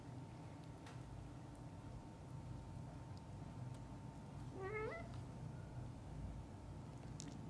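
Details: Cat among a mother cat and her young kittens indoors: a single clear, rising, harmonically rich meow about two-thirds through, otherwise a quiet room with a steady electrical hum and soft rustles.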